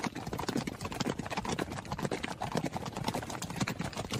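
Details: A horse running, its hooves landing in quick, clattering knocks that blur together, with an uneven pulse near two beats per second.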